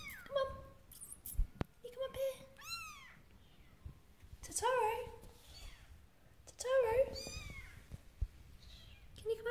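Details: Persian Siamese kittens Totoro and Suki trying to climb a step indoors, giving several thin, high mews with rising-and-falling arcs, scattered through the clip among a person's encouraging speech in a small room.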